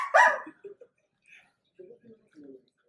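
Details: Pet Dachshund sausage dog lets out a single loud, harsh bark at the start, followed by quiet, low sounds and near silence.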